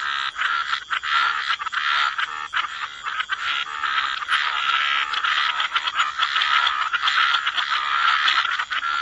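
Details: A waterside frog chorus keeps up an unbroken, buzzy rattle of overlapping croaks from many callers, with no real pauses throughout.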